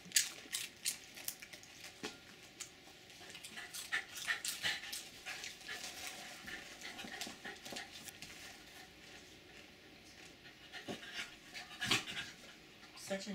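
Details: Two Jack Russell Terriers beg for potato chips, one far more eager than the other. They pant and whimper softly in excited bursts, with crinkling from the chip bag and clicks.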